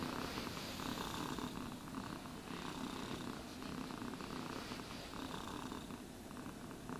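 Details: Close, even purring of a domestic cat being groomed, a dense low rattle kept up without pause, overlaid by light brushing strokes through the fur, no talking.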